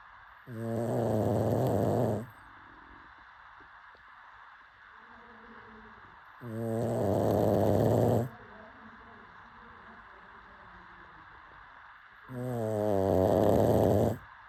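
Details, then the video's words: Pug asleep and snoring: three loud, harsh, rattling snores, each about two seconds long, arriving roughly every six seconds with soft breathing between. "Pug snoring"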